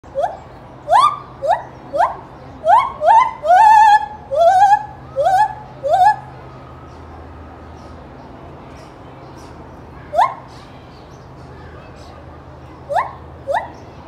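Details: At Knoxville Zoo, Tennessee, a gibbon gives a run of loud rising whoops that speed up, then a few scattered whoops.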